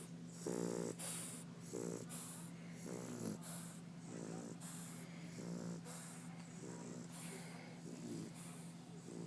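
An English Bulldog snores in rough, rattling bursts, each breath a few seconds apart.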